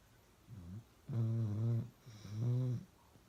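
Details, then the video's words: Pet dog Uno snoring loudly: a soft short snort, then two heavy, buzzing low snores close together, each ending abruptly, with near silence before and after. "Uno Drinking Water and Snoring really loud"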